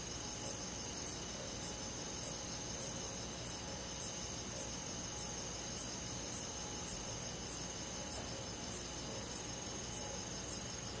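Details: Summer-night cricket chorus in rural woodland. Crisp high-pitched pulses come at an even pace, roughly one every 0.6 seconds, layered over a constant high insect drone with a soft low-frequency background.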